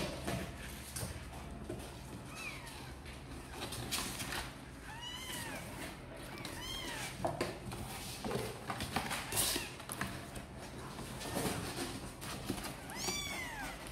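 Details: Sor and Kapov's kittens, apparently wanting to come out and play, give a series of bright, arched meows, several in quick succession around the middle and another pair near the end, amid scratching, thumps and rustling.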